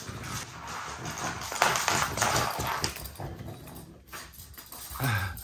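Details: A male French Bulldog insists on being taken for a walk. He gives a steady stream of rapid whining, grumbling vocal bursts over a constant background hiss, ending in a rising whimper.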